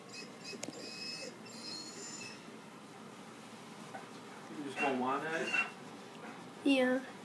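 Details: Dogs indoors at home as Buddy meets Bella, the newly arrived puppy, for the first time; whenever she whines he whines too. Wavering, high whines rise and fall in a long bout near the middle and a shorter one at the end, over quiet room noise.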